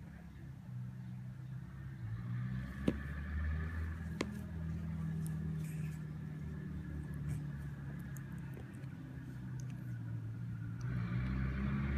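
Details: Low indoor rumble like a passing vehicle fills the room, broken by a few sharp clicks and faint distant speech, with no animal voices.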